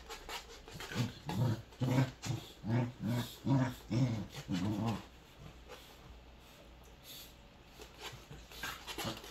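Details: Three Welsh Corgis at play indoors, rough low growling pulses repeated about twice a second for several seconds, then quieter scuffling and faint breathing.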